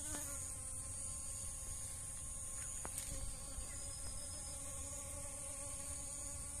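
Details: Honey bees working dragon fruit flowers for nectar hum in an even, low, overtone-rich buzz lasting the whole stretch, with a couple of faint taps and a steady shrill background hiss.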